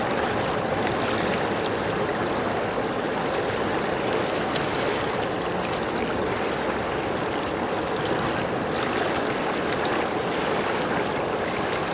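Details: Steady broadband rushing noise like flowing water fills the whole recording, with no animal calls.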